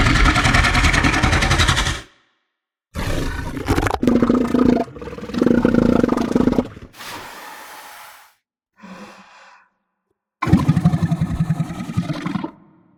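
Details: Close-up southern elephant seals in the sub-Antarctic giving loud, harsh pulsed bellows, a rapid throbbing rattle in bursts of one to three seconds separated by silences, with one quieter nasal snort in between.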